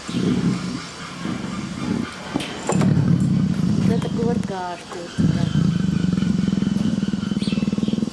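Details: Affectionate captive female leopard in heat, purring for her keeper: bursts of low pulsing rumble, then a long steady purr at the end, with a woman speaking softly in Russian.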